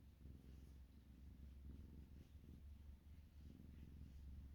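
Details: Siamese kitten purring: a soft, continuous low rumble that swells and eases in gentle rhythmic pulses, quiet and close, with no other sounds.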